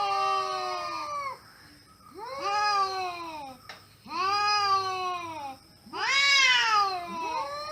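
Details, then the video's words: Cats converse in a series of four long, descending meows separated by brief silences. The voices overlap at times, and the final call is the loudest and most strained. "KEDİLERDE KONUŞARAK ANLAŞMAK"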